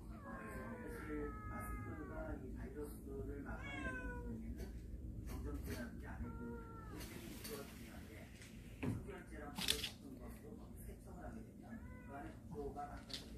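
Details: A family of cats from a storage shed coming into the house in mid-October; several clear meows, some rising then falling, others short and dropping, spaced a second or two apart, with faint clatter in a small indoor room.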